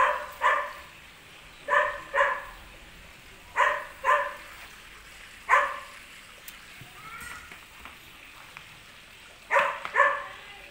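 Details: A playing German Shepherd puppy, called an Indian champion, barks again and again, often in quick pairs, with gaps of one to two seconds. Faint higher whining slides come between the barks.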